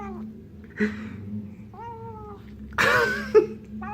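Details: Male Burmilla kitten indoors, hungry sounds while eating a fly he caught: short, level meowing cries with a low steady hum beneath and a loud clattering bump near the end.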